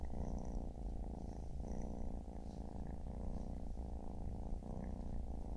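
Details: Among a Siamese mother and her four kittens relaxing together on a Saturday afternoon, a low, even purr rumbles on without stopping, its rhythm marked by quick breath breaks, with a few faint high ticks.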